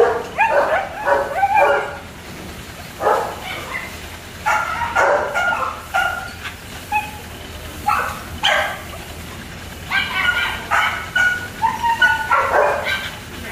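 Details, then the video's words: German Shepherd pups in a kennel mixing sharp barks with high thin whimpers and yelps, clustered bursts separated by short pauses, the whines sliding in pitch. "German shepherd dogs (pups)"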